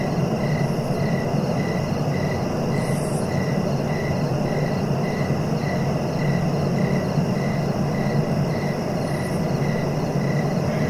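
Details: Cricket calling in quick regular pulses, nearly three per second, fading out partway through, beneath which runs a constant deep rumbling noise.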